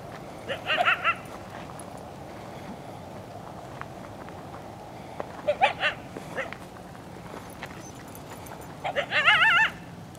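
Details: Two coyotes from a pack of five or six, likely near their den, yipping and howling at people to lure them away, filmed on a handheld camera. Three separate bursts of wavering, quavering high yips, each about half a second, against steady background noise.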